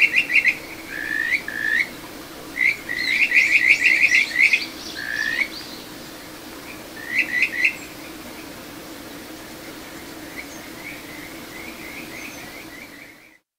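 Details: Kajika frog singing in a small satoyama stream in Ichihara, Chiba, Japan, recorded June 9, 2022: bright whistled trills, rapid series of rising and falling notes in bursts, with fainter distant callers and steady flowing water underneath.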